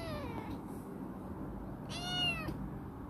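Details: Chibikuro, a rescued former stray female black cat, once wary and now affectionate, living in a warehouse: a faint falling meow, then a clearer arched meow about two seconds in, over a low indoor hum.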